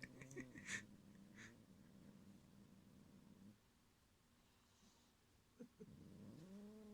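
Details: A cat growls in threat, guarding a string toy from another cat: a low, droning, harmonic rumble for about three seconds, a brief hush, then the growl swelling again, with sharp breathy bursts near the start.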